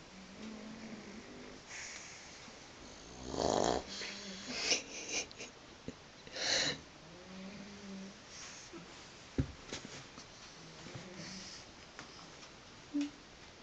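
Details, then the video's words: Sleeping pug twitching as it snores: a series of low buzzy snores with stacked harmonics, several loud rasping snorts around the middle, irregular breaths between, quiet indoor room background. "Мопс храпит и дергается"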